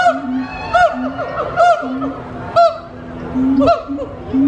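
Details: Gibbons hooing at Disney's Animal Kingdom, captive and energetic: a run of short low hoo notes, each about a second apart, with sharp upward-sweeping whoops breaking in between and faint voices in the background.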